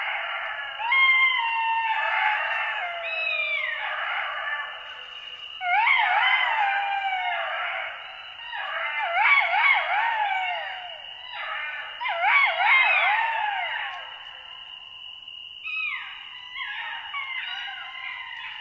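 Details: Pack of golden jackals howling together: several voices overlap in wavering, quavering howls and yelps that rise and fall, coming in loud bursts with short pauses between, over a steady high whine that runs throughout.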